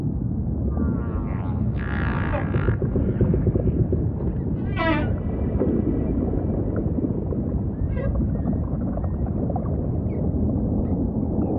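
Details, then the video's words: Humpback whale song: harmonic moaning and a rapid rising-falling trill among brief whoops, set over a steady low ocean rumble. "Majestic Whale Song · beautiful humpback"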